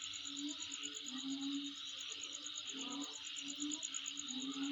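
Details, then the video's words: Insect calling where the recordist lives: a dense, steady high buzzing drone with a fast, evenly pulsed, very high trill running above it, while low, wavering hum-like tones come and go underneath. "Sound Of Insect In My Place"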